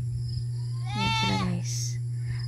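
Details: Goat at a pasture in the countryside giving a single wavering, nasal bleat about half a second long that rises slightly and then holds, over a steady low hum.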